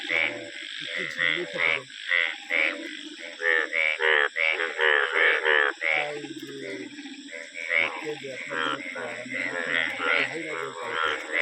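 Frogs croak in quick, rasping bursts, several voices overlapping in an uneven chorus.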